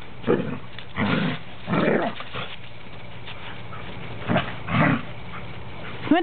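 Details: Three standard poodles, named Indy, Illusion and Oasis, growl while playing; several rough half-second growls spaced irregularly, then a brief high whine at the end, with faint background hum.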